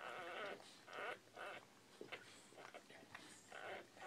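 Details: Newborn Bull Pei puppies crying in high, squealing bleat-like wails, about five drawn-out bursts in four seconds with short gaps, the pitch wavering up and down, with a faint voice underneath.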